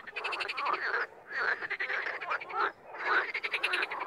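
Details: Chorus of wild frogs in bursts: rattling, pulsed croaking rises and breaks off several times, with short quiet gaps between surges of many callers.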